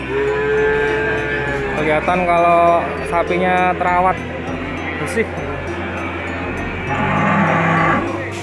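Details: Indonesian Peranakan Ongole feeder cattle offered for sale; a long low moo opens, then a loud stretch of harmonic, pulsing lowing in the middle and another moo near the end, all over continuous background music.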